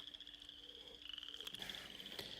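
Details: Frogs giving mating calls in a swampy area of northeast Oklahoma on a windy day: a faint, steady high trill held throughout, with a harder crackling burst near the end.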